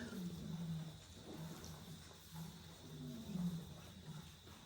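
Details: Lions roar close by outside an elephant orphanage at night, deep, rumbling roars and grunts pulsing low and heavy.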